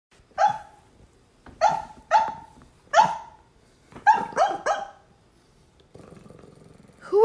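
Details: A sleeping Bulldog puppy gives short, muffled woofs in irregular bursts, some in quick runs of two or three, barking while dreaming.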